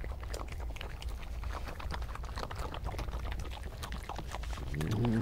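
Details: European badger, a vocal individual, growling, grumbling and chattering during scuffles and disagreements on an evening of 2 July 2014 near a paddock; a dense run of rapid clicking chatter over low rumbling, closing with a short harmonic whining growl.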